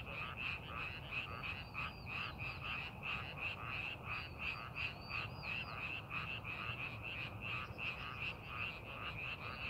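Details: Frogs calling in a rice paddy being prepared for farming, amid scenic countryside; a dense chorus of rapid, pulsing croaks packed closely together, with higher chirping notes weaving through and a low steady rumble beneath.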